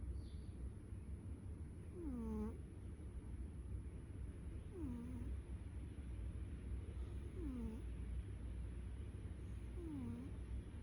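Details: A domestic cat snoring: a thin, squeaky, downward-sliding whistle comes with each breath, about every two and a half seconds, four times over a steady low hum.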